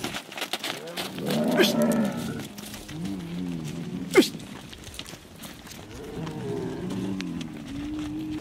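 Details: Camel kept by a camel herder of the Abadla people near Béchar, giving a low, harmonic, moaning groan that swells near the start, then a second drawn-out rumbling groan later on, with a sharp click in between and faint background noise.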